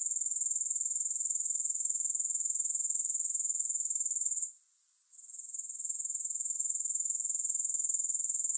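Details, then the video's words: Grasshoppers without music: a thin, sizzling high whine beating regularly about four times a second, halfway through falling silent for roughly a second, then fading back in. "3 Hours of Grass Hopper Sounds"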